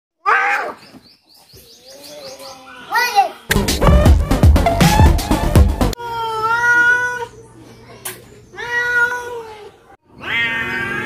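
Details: Two cats fighting in Noldanga village, a rural setting: harmonic yowls and caterwauls rising and falling, with a burst of loud broadband scuffling in the middle and a rising wail at the end.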